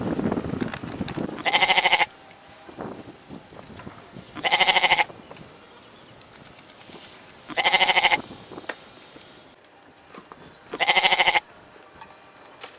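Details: Goat bleats repeated four times, each a loud, nasal, vibrating call lasting under a second, about three seconds apart, with soft rustling and faint knocks in the pauses.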